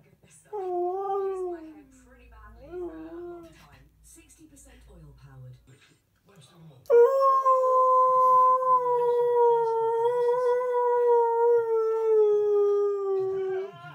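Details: A Siberian Husky puppy answers a person's brief wavering howl with a long, steady howl that slides slowly downward.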